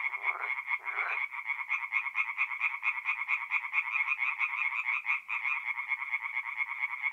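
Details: Night chorus of tree frogs at a forest pond in North-East Italy in mid-April; fast, regular clacking pulses stacked from many callers, two deeper croaks near the start, then an unbroken rhythmic din.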